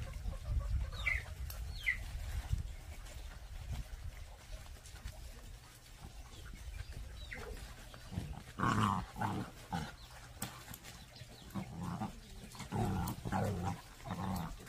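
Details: Pungsan dog puppies scuffling in a rank fight: a couple of short high yelps early on, then bursts of rough, low growling that come and go over several seconds amid scuffling noise.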